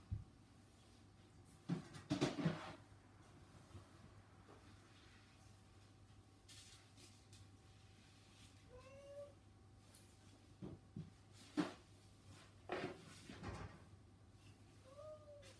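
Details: Indoor house cats, one of the three named Saba, Hana and Mizore, just before feeding time: two short arched meows, one near the ninth second and another at the end, amid knocks, thuds and clattering in a small room.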